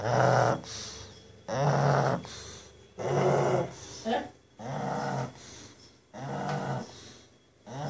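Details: A sleeping pug snoring in a small room: five or six regular rasping, rattling breaths about every one and a half seconds, each followed by a brief quiet pause.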